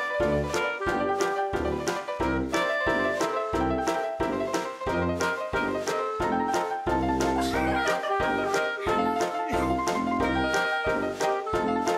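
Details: Upbeat jazz with piano, brass and a steady beat fills the whole stretch, and no cat sounds come through.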